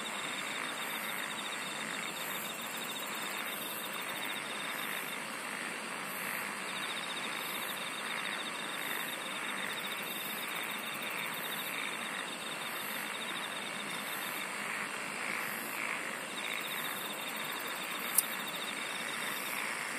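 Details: Long stretch of insects singing: an unbroken high-pitched trilling wall with regular pulsed bursts and a finer beaded trill, steady in loudness, one brief sharp click late in the recording.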